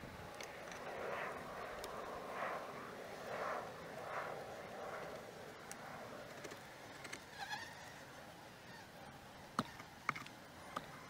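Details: Beehives on March 25, 2015: single bees whir past in short rising and falling buzzes about once a second over a soft background hum, followed by sharp clicks and taps.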